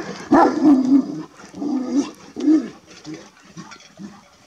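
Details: A Kangal shepherd dog guarding its flock in a village forest, during a wolf incident with a young wolf chased by the dogs, gives deep, hoarse barks in uneven bursts.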